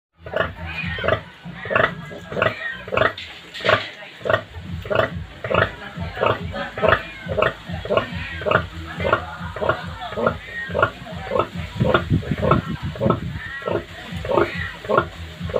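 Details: Native pig sow, kept as a farm animal, that has just given birth to many piglets; short low grunts pulse steadily about twice a second throughout, over a constant background hum.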